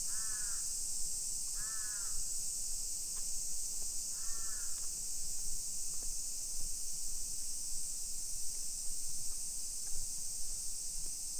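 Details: Summer cicadas in a hillside residential neighborhood of Nisshin city, near Nagoya, Aichi Prefecture, Japan, at 1 PM on 28 July 2021: a steady, high, hissing drone runs unbroken throughout, while a crow caws in three short bursts during the first five seconds.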